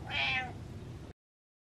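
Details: Single short, bright meow from a house cat asking for attention while leading toward its food, fading within half a second, over a low indoor hum before the sound cuts off.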